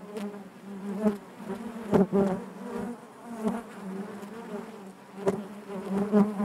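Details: Continuous low buzzing of a crowd of honey bees inside the hive, rising and falling as bees pass close, with intermittent clicks and knocks.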